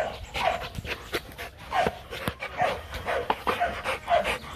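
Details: Rottweiler pup Nina or Nano, now grown big, panting while playing at the Gervi kennel: fast regular breaths with a soft tonal whine in each, about two per second, some rustling and knocks.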